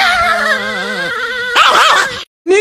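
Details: Niki, a pet Chihuahua described as extremely angry, gives a drawn-out tonal growl-whine with steady, slightly wavering harmonics, then a quick burst of choppy yipping notes, a short silence, and the start of another cry.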